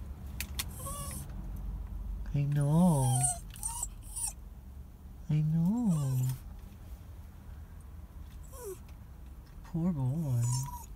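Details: Crying dog whining in three separate drawn-out, wavering whimpers spaced a few seconds apart, each rising then falling, with quiet background noise and faint clicks between them.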